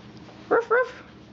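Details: Four-week-old puppies playing with Mama Valentine and her brother Hoyt on an afternoon, March 18, 2013: two short, high, yelping barks in quick succession, with quiet room noise around them.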